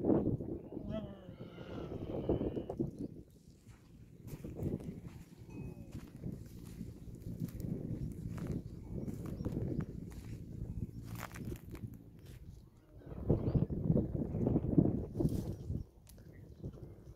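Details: A camel calf in the desert calls for its mother, low throaty moaning bleats in bursts, before a reunion.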